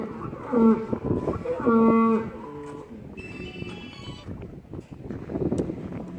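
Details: Lowing at a cattle farm during the live weight test of Gabbar, a 930 kg Qurbani bull for Bakra Eid: two short, clear, nasal moos in quick succession, followed by a bright electronic tone and general chatter.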